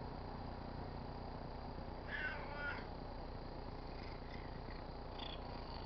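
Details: Pet tabby cat purring while rubbing against a car antenna; a steady low rumbling purr fills the clip, with a couple of brief higher rubbing or squeaking sounds near the middle.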